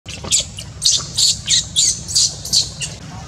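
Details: Newborn baby monkey Luno crying, rejected by its mother Luna: a run of eight shrill, high squealing cries, each short and strained, coming about every 0.4 seconds over a low steady rumble.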